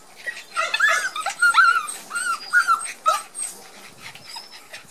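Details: Border Collie puppies of Gem and Sky, timid on their first garden outing after first vaccination; a burst of high squeaky whimpers and short arched cries, fading into quiet after about three seconds.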